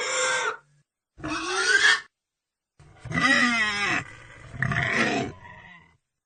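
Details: Pig giving four harmonic, squealing bursts, each about a second long, some rising and wavering in pitch, with short silent gaps between them and low grunting undertones.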